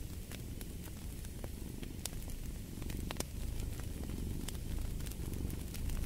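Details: A cat's low, continuous purr drones under a crackling fire, the rumble growing a little louder toward the end while frequent snaps and pops from the burning wood cut across it.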